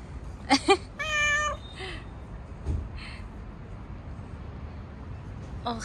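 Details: Stray street cat, fluffy and being petted outdoors, lets out a single held meow of about half a second, surrounded by brief clicks, rustles and a few murmured human words.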